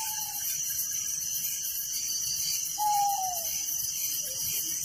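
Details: High, continuous cricket chirping fills a village night, joined by a few short whistles that slide downward, one at the start and a louder one near three seconds.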